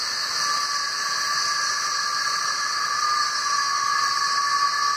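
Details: Cicadas swarming trees along a lakeside trail fill the air with a steady, hissing, high-pitched drone that never pauses; the males sing to attract females for mating.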